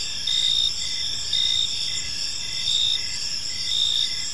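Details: Crickets in a park on an evening, a dense high-pitched chirping chorus with brighter pulses swelling roughly once a second over a steady shimmering background hum.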